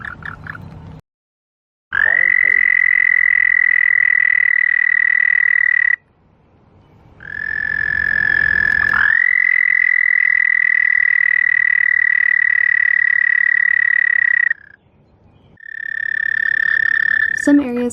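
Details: Male American toads give long, steady, high musical trills, each held for several seconds. It is their mating call to attract mates, given at night in spring from snowmelt vernal pools in Ohio, northern United States.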